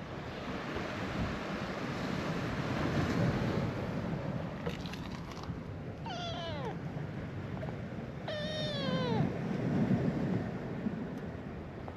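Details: Ginger tabby kitten, a stray on a cat island in Itoshima, Japan, growing up surrounded by gentle older cats, gives two drawn-out meows that slide downward, a few seconds apart, over steady surf-like wind and wave noise.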